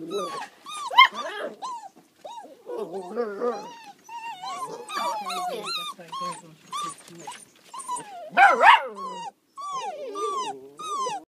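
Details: Several Border Collie puppies in west Ireland yelp and whimper in bending, squealing notes, one burst louder around the middle, while a person talks in the background.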